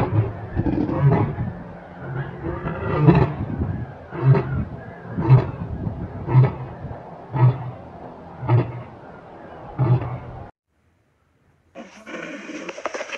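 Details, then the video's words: Large animal giving a series of deep, rhythmic grunts, one roughly every second for ten seconds, over a continuous low rumble, then cut off; a brief unrelated hissy passage follows. "the big sound of large animals such as bulls, gorillas, rhinos, lions"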